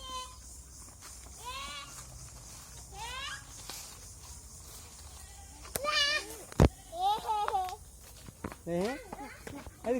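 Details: Native goats kept on a farm in Bangladesh, bleating in wavering, rising-then-falling calls, several in a row near the end, with a voice speaking and a sharp click partway through.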